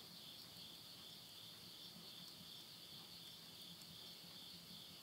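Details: Late-summer insect voices at midnight near a house in Yurihama, Tottori, Japan, September 2020: continuous high-pitched pulsing trill holding two even tones throughout, faint soft wood-fire crackling underneath.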